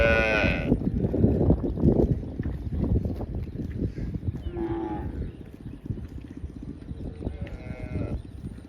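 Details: Cow giving three short, fairly high, bright moos: one at the start, one near the middle and one near the end, over a steady low rumbling background.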